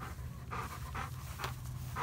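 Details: Midnight, a black dog and former stray taken in and adopted by neighbours, who lives with two yellow Labradors, Hannah and Remington, pants in rhythmic breathy bursts about twice a second over a steady low background hum.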